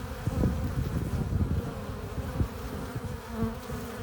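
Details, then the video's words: Busy honey bee hive entrance with foragers bringing in pollen and nectar, heard as a thick, rumbling low-pitched hum full of overlapping wingbeats. "15 minutes of bee hive entrance! Relaxing sounds! Buzzing sound efects"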